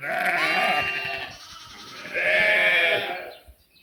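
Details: Sheep and lambs bleating: two long, wavering, harmonic bleats, the first lasting over a second and the second near the end, with a quieter gap between them.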